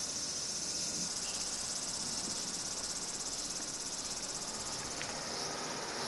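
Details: Cicadas drone in a steady, high, hissing buzz without a break, recorded in summer (8 August 1991) in Minami-Magome, Tokyo, Japan.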